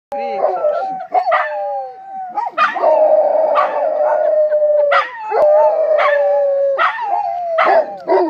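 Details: Rhodesian Ridgebacks, a pair of dogs meeting a friend and celebrating by howling together: long sustained mid-pitched wavering howls, several voices overlapping, broken by short yelps and yips.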